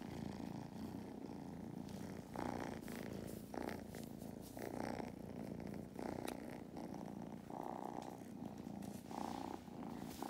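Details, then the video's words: Lap-time purring by the kittens Mustard and Thyme on an Irish farm in County Kilkenny. A deep, rhythmic, machine-like rumble pulses with the breath in cycles of about one second. "These kittens certainly have powerful purrs, they’ve become purr machines"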